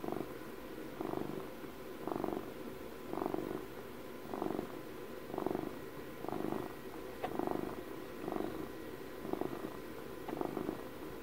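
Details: Domestic cat's steady close purr, the rumble swelling with each breath about once a second, around eleven swells, with a brief faint click midway and low background hum.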